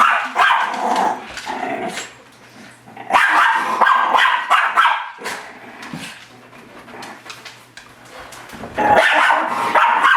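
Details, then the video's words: Miniature Schnauzer pet dog barking at its own reflection in a mirror, attacking it: rapid, rough barks in dense bursts with snarling growls between, pausing briefly around the middle before another loud flurry at the end. "Dog sees it self in mirror "Confused Minature Schnauzer""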